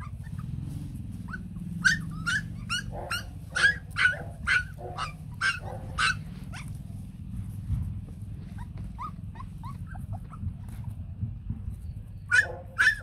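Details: White fluffy Bac Ha puppies, a native Vietnamese breed, with their mother at a farm, crying for milk in sharp high yelps and whimpers, roughly two per second in bursts, over a low steady hum.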